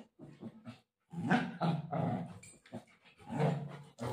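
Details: Golden retriever play fighting with its mother, giving low rumbling growls in sustained bursts of about half a second to a second, broken by brief pauses and scuffling.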